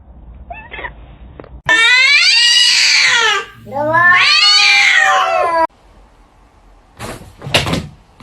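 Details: Domestic cat giving two long, loud, drawn-out wailing meows, each bending upward then sliding down, with brief faint sounds before and after.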